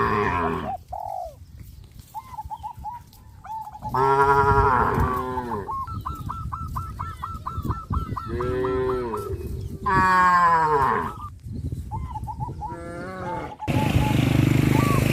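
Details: Cattle being herded along a road by a farmer in the countryside, giving loud, drawn-out harmonic moos in three bouts, with quick repeated chirping notes and a steady low rumble between them.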